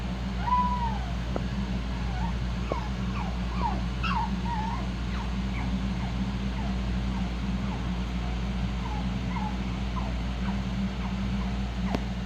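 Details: Several shih-poo puppies of one litter squeaking and whimpering almost constantly: soft, short, high, wavering cries overlapping one another, with a faint tick or two and a steady low hum underneath.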